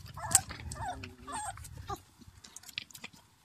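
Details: Black-and-tan Beauceron puppies, 28 days old, of the 2016 Hébène litter: a thin, wavering harmonic whine and short squeaky whimpers in the first two seconds, then quiet rustling and chewing-like clicks.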